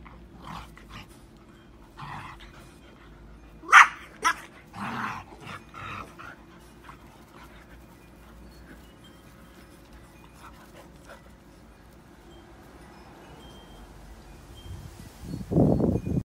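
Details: English Bulldog and Standard Schnauzer playing together: a handful of sharp barks and yips at around four to six seconds, then a long quiet stretch with low hum, ending in a loud scuffling burst.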